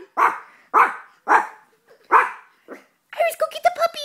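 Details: Iris, a Blue Russian Toy Terrier indoors, gives four sharp barks about half a second apart, followed by a short yip and then laughter and excited human voices.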